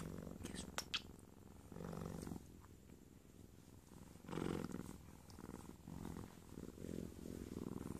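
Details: Cheetah cub lying in bed while receiving kisses, giving a low rumbling purr in pulsed bursts, with soft indoor rustling and a brief voice.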